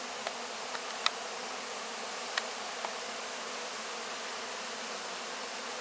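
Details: At the close of the 2024 honey harvest, honey bees clean up what is left of the wax cappings; a constant low hum broken by a few sharp clicks or taps.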